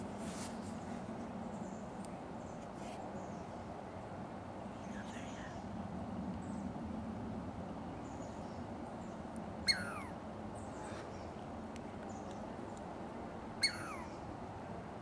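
A Douglas squirrel gives sharp, high alarm calls that sweep steeply downward, about four seconds apart.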